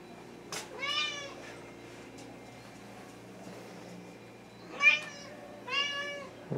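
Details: Hungry Thai cat (traditional Siamese, wichienmaat) meowing indoors at 2:15 AM: three drawn-out, nasal, slightly falling meows spaced a few seconds apart, with a faint steady hum in the room.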